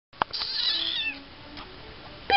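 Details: Tiny kitten indoors giving a drawn-out meow with bright wavering overtones, then a quieter trailing cry; a few soft knocks and taps, and a woman's voice speaks right after.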